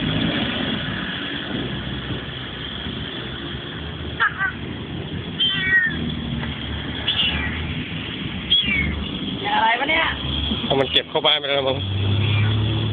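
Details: A cat in Malaysia that appeared during an outdoor photo shoot and kept following the people around; several short meows with a quick rise and fall come in the second half, over steady talking and background noise.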